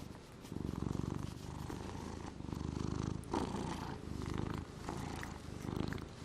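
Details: Gnusmas, a domestic cat said to suffer from anorexia, snoring in his sleep in August 2020: low, rumbling pulsed breaths in slow cycles roughly every second, each inhale-exhale swelling and fading, with quiet room noise between.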